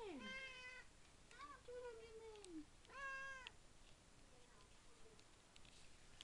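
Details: Indoors at feeding time, the house cat Tigroo voices its excitement in three clear, tonal meows, each bending downward at the end. A quieter mew trails off afterward against a faint room hum.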